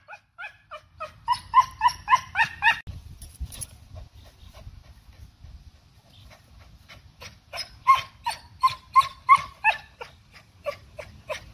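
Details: Backyard Cocker Spaniel chasing off birds and squirrels: a fast run of sharp barks, a pause of a few seconds with faint rumble, then another long rapid barking series that trails off near the end.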